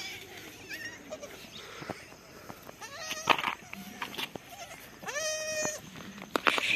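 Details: Adorable small baby goat bleating. Short cries and clicks come early, then a long quivering bleat with rich harmonics after five seconds and another cry near the end.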